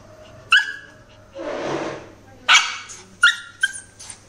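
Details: Angry Shih Tzu in the naughty corner barking: sharp, high yaps at irregular intervals, four in quick succession, with a stretch of human voice in between.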